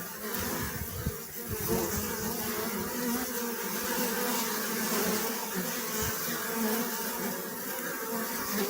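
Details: Steady hum of many honey bees, a full, unbroken buzz with a warm low drone and faint higher overtones throughout.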